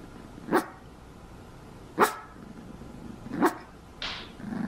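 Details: A female Cavalier King Charles Spaniel puppy named Herky, newly brought home in 2014, barks three times about every one and a half seconds, each bark short and sharp, then a softer noise follows.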